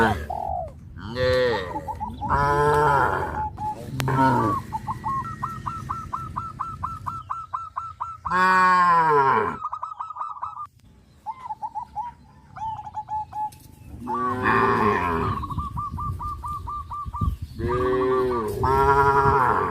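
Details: Cows, tame and crowding around the fields, running and jumping for joy, moo repeatedly in loud, downward-sliding calls, with extended runs of quick, evenly spaced high chirps filling the pauses between them.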